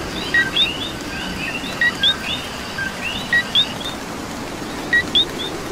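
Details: Coqui frog calling in the rain in Puerto Rico: a short flat note followed by a higher rising whistle, "co-qui", repeated about four times over a dense chorus of other chirping frogs and a steady hiss of rainfall.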